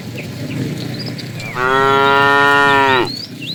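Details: Tame fat cow in a herd being driven in the afternoon, calling the female: a single loud, steady moo about one and a half seconds long, rich in harmonics, with faint bird chirps before and after.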